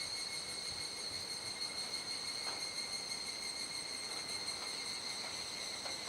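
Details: Cicadas calling together at dusk in Kuji, Iwate, Japan, mid-July 2017 during the rainy season. An unbroken, piercing high drone holds steady throughout, with occasional faint taps beneath it.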